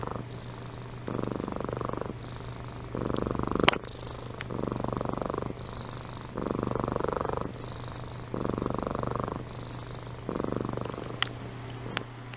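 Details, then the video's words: A sleeping house cat, Amy, purrs and snores in long rumbling phases alternating with quieter in-breaths, with a couple of sharp clicks and a steady low hum. "Compilation of Amy Purring & Snoring"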